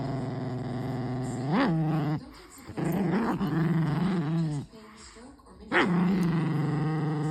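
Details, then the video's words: Pet dog making strange noises: low, sustained growling moans that swell into wavering higher whines, repeated in three long bursts with brief gaps, a person talking in the background. "Crazy doggo makes crazy noises"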